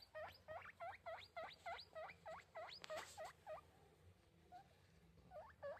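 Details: Rapid run of sharp rising squeals from a pet guinea pig, around a dozen in quick succession, then a short pause before two more.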